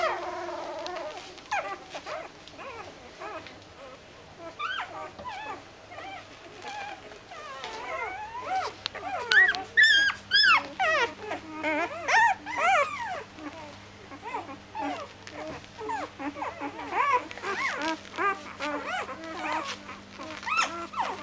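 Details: Several Doberman puppies going to bed whimper and squeal in overlapping, wavering high calls, sparse and quiet at first, then denser and louder from the middle on, with a steady low hum underneath.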